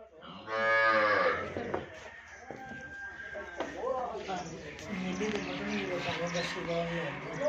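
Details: Nili-Ravi buffalo offered for sale in Pakistan, recorded 5 February 2022: a loud harmonic bellow in the first second, then Punjabi speech from men describing the animal, with more low lowing underneath.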